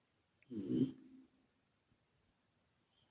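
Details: Asleep at home, Calmo, a former shelter British Shorthair tomcat, lets out one short, coarse, low snore that trails off in added echo, followed by near silence and the start of another snore at the end.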